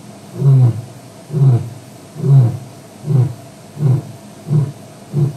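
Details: Male lion, Djuma, WildEarth live stream, evening of 09/05/07: seven short, deep grunting roars at a steady pace of just over one a second, the closing phase of a roaring bout.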